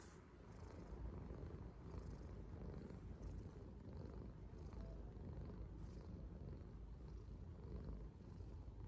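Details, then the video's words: Steady low rumbling purr from a contented yellow Korean Shorthair cat, a continuous soft vibration with no breaks, recorded close up indoors in a quiet room. "귀여운 코숏 고양이가 내는 소리"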